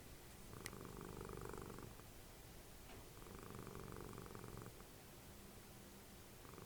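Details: Dessie, a house cat and mother of Fritjof, snoring while snuggled in front of the TV. Buzzing, vibrating rumbles rise and fade in breath cycles about every two seconds, with a faint click early on.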